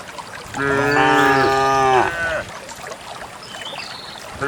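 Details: A cow gives a long, low, rich moo that swells and then slides down at the end, on a quiet morning as dozens of cows walk out to graze in a green valley in the countryside.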